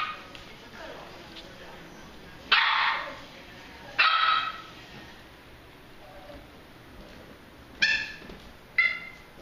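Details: Playing Pembroke Welsh Corgi puppies yip in four short, shrill barks separated by pauses of one to four seconds, with faint rustling between them.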